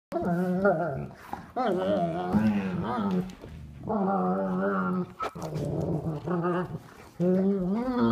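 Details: Two sable German Shepherds, a three-year-old adult and a nine-week-old puppy, playing together without a toy for the first time; long harmonic whining growls and yelps with short gaps, recorded indoors.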